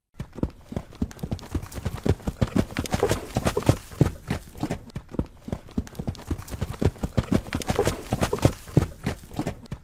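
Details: Horses galloping, their hooves pounding in a dense, irregular drumming that carries on without a break for ten seconds, low and thumping, with no neigh standing out.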